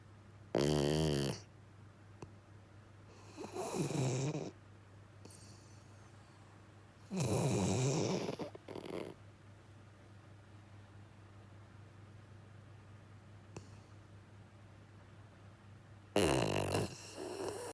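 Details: Jiji, a male rescue Labrador–Schnauzer mix dog, sound asleep and snoring heavily indoors; rough, rattling snores with a low buzzing tone come in bursts every three to four seconds, separated by quiet pauses over a steady low hum.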